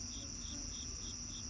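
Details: Crickets outdoors on an evening: a steady high continuous trill beneath short pulsed chirps repeated about five times a second, over a faint low background hum.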